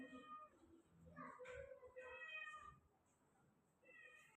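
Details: White Persian kitten meowing several times in quick succession, each meow drawn out with rich overtones, fairly quiet against a steady background hiss.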